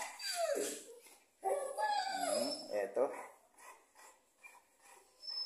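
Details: Cane Corso dog whimpering in several short, wavering, yelping bursts, pitch bending up and down, with quieter breathy sounds between them.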